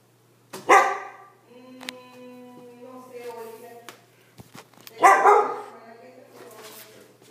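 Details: Frightened Siberian Husky reacting to a balloon: two loud, harsh barks about four seconds apart, with drawn-out whining, howl-like vocalizations between them, and a low steady hum in the background.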